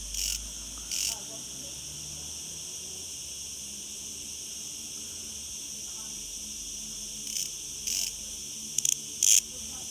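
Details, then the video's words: Noisy cicadas, thousands of them in a villa garden on Gozo: a continuous high droning hiss with brief loud buzzy pulses at the start and near one second, then a long steadier stretch before renewed bursts around seven to nine seconds. "Gozo's noisy Cicadas"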